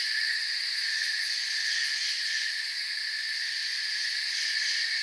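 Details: Crickets chirping in a calm forest at night, a relaxation ambience: a steady, dense insect chorus in several high, even bands with a faint rapid pulsing on top and no pauses or other clear sounds.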